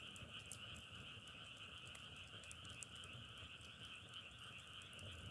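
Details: Frogs trill together in a constant, even chorus of two high tones, while a firewood blaze crackles with quick sharp pops scattered across the recording.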